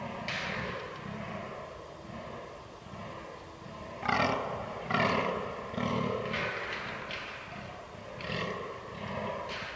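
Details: Fallow deer during the rut, recorded 22 October 2022 with a Canon R6 camera: deep, hoarse, belching groans repeated roughly every second in a steady pulsing series, with louder bursts around the middle, over a low background rumble.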